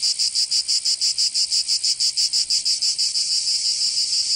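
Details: Cicada song in summer in Provence, southern France: a piercing high buzz chopped into crisp, regular pulses about three per second, the beats blurring slightly toward the end.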